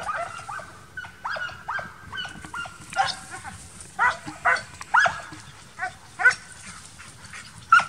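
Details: Transylvanian Hounds, young dogs in intensive summer training for wild boar hunting, giving scattered high yelping barks at irregular intervals, several overlapping voices, with a faint low rumble beneath.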